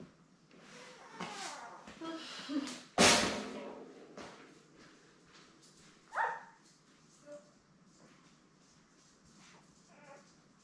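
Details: Newborn Labrador Retriever puppies, a litter of seven born May 24, 2021, with their mother Belle on an indoor puppy cam. Scattered high squeaks and whimpers, one clear rising-falling squeal near the six-second mark, a loud bump around three seconds.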